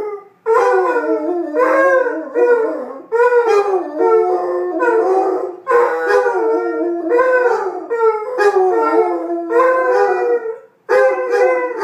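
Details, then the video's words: Two Basset Hounds begin with play barking that turns into an unprovoked howling session, their long, mournful, wavering howls overlapping in a loud chorus. "Basset Hounds Putter and Birdie unprovoked howling fest"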